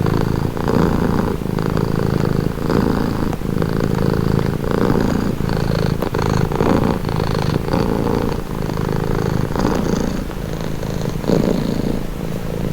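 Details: Pet cat purring up close, a deep vibrating drone broken into regular breath cycles about every second, steady loudness throughout, no other noises.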